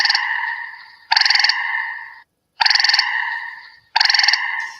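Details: Gray tree frog trill, shorter than an American toad's and usually heard near damp wooded areas. It sometimes calls by day and can sound almost birdlike. Three loud pulsed trills of about a second each arrive with short silent gaps between them.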